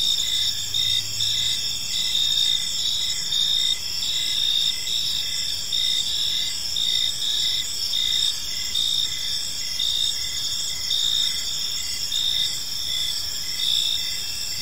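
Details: Crickets chirping on an evening in a peaceful park, a dense steady chorus of high pulsed trills overlapping in several bands, with a faint low hum beneath.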